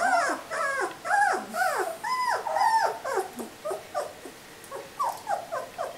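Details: Whining cries from pups aged three weeks, each a short arched squeal that rises then falls, coming in quick uneven succession and fading slightly toward the end.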